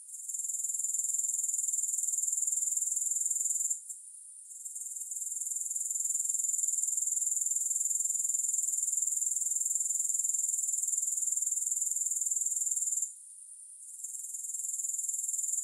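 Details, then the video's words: Shrill, continuous grasshopper chirring with no music, high and rapidly pulsed, broken by two brief pauses near the four- and thirteen-second marks before resuming. "3 Hours of Grass Hopper Sounds"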